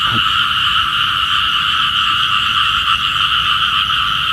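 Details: Small frogs calling in the morning, said to call for rain: a dense, continuous chorus of rapid trilling croaks in two steady bands, one middle and one high, with no pauses, overlapping voices throughout.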